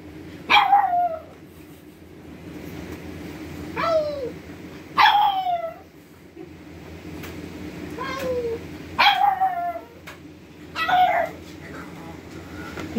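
A pug gives short, sliding howls, each falling in pitch, repeated every couple of seconds.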